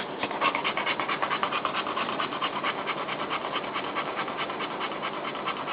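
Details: Newborn puppies' mother pants quickly and rhythmically, a regular string of soft breathy bursts over a few seconds while she tries to get comfortable with her litter.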